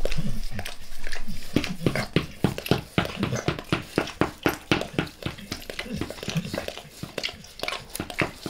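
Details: Dog named Max licking his owner's face, recorded close with no talking: rhythmic wet laps and smacks, about four per second, fairly even, each a sharp sticky click over a low thud.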